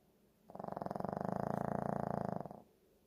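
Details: A sleeping Shih Tzu gives a single rough, vibrating snore lasting about two seconds, rising in and fading out smoothly against a quiet room.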